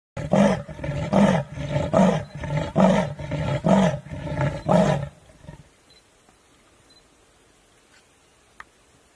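A leopard gives a run of deep, rasping grunts, like a saw drawn through wood.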